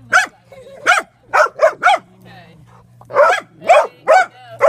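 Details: Dogs bark at a drone with loud, harsh, repeated barks about twice a second, a brief quiet stretch in the middle, faint voices and a constant low hum behind.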